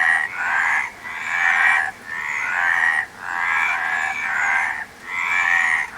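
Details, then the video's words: Frog croaks come in long, rough, buzzing bursts of about a second, with clear quiet gaps between them, the pulsing chorus staying loud and even. "Frog Sound"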